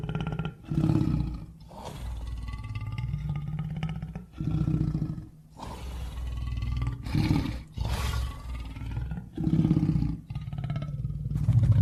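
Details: A lion gives a series of deep roars and grunts, about eight rumbling bursts separated by brief pauses, each heavy and low with a rough, breathy edge.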